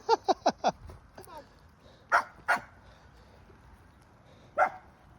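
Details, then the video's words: A small dog, an 'ankle biter', barks at Panther: a fast burst of four sharp barks, then two louder barks about two seconds later and one more near the end, with faint voices and laughter between. "Ankle biter starts barking at panther"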